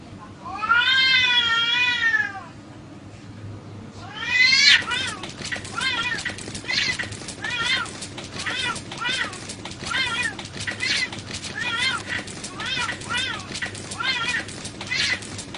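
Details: Fighting cat: a long wavering yowl, a pause, another harsh cry, then a rapid series of short arched meow-like wails repeated roughly every second, with faint human voices underneath.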